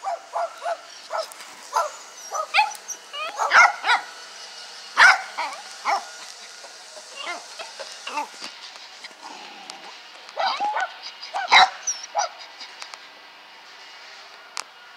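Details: Pet dog recorded on March 14th 2021, barking: a long run of sharp, high, yappy barks, single and in quick clusters at irregular intervals, with short pauses between bursts.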